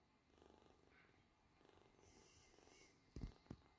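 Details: Purring British Shorthair kitten, eyes open and feeding well: soft continuous low rumble for about three seconds, then two sharp loud knocks or handling noises near the end.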